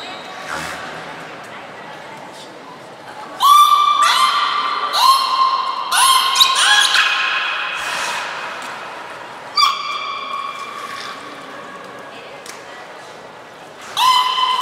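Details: Training session for belugas Niko and Mirai at Port of Nagoya Public Aquarium, 29 February 2020: a run of short, squeaky harmonic calls with upward-sweeping starts, then scattered further squeals in a reverberant hall.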